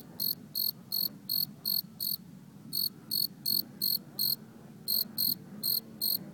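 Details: While people camp in a yard at night, a cricket sings a steady series of short, high, pulsing chirps, about three each second.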